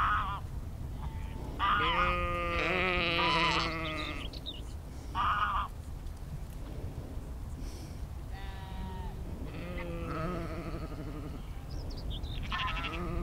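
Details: Sheep recorded in nature as a 360-degree spatial field recording with an Insta360 X3 and Zoom H2n: several wavering, harmonic bleats of varied length from more than one animal, with a low rumbling background throughout.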